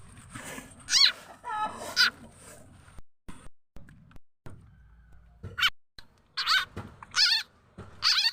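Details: Calls of the frog locally named khiat chana or khiat mo, used to lure birds, chickens and other fowl. Brief bright squealing chirps come in scattered bursts with short silent gaps between them.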